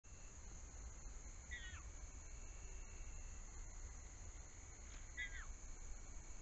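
A bobcat kitten gives two thin, high mews that slide downward, calling for its mother.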